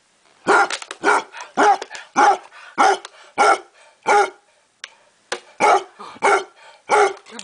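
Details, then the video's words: Otto, a basset hound, barks in a steady series of about a dozen deep, harmonic-rich barks, each roughly half a second apart, with one brief pause midway; no other sounds stand out. "Otto the Barking Basset"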